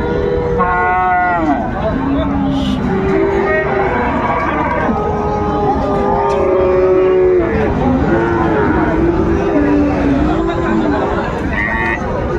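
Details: Many Friesian and cross-breed bull calves at Dinajpur's Raniganj cattle market, 26 December 2024, lowing over one another: short and longer moos overlap throughout, with men haggling and general crowd hubbub.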